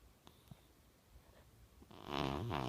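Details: A young blue British Shorthair cat snores with a rough, rattling breath after a quiet start.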